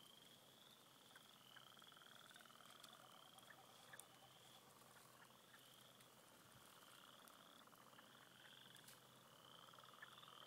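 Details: Many frogs at a beaver pond in spring, calling together in a steady chorus of overlapping, high trilled calls repeated every second or so, with a lower pulsing layer beneath and faint clicks.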